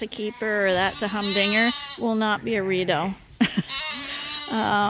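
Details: Bottle-fed lambs at Ewetopia Farms, still nursing from their mothers but topped up from a hand-made bottle feeder, bleat in long wavering calls, several voices overlapping with short pauses between.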